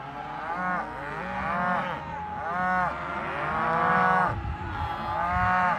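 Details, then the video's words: Cows mooing in a series of overlapping, drawn-out harmonic moos, several voices rising and falling, roughly one call every second or two, with a low rumbling background. "Voice of Cows"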